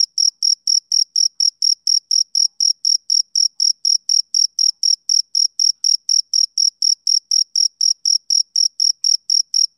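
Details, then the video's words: Male cricket calling on a summer evening with rapid, regular chirps, roughly four sharp high-pitched pulses every second at unchanging loudness, alone in a silent setting. "Cricket Chirping Sound Effect"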